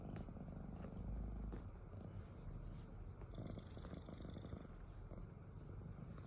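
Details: Domestic cat snoring: a low, steady rumble sits mostly in the bass, holding a nearly even loudness for the whole stretch with only faint, soft higher ticks above it.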